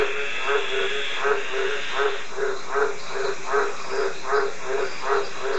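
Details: Green tree frog giving evenly spaced, low, honking croaks, a little more than two a second, each short and nasal, against a steady hiss.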